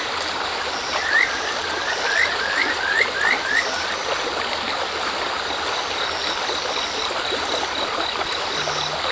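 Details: Kajika frog beside a river stream at dusk, heading into darkness: a single short burst of about six bright, upward-sliding chirps early on, then only the constant wash of flowing water.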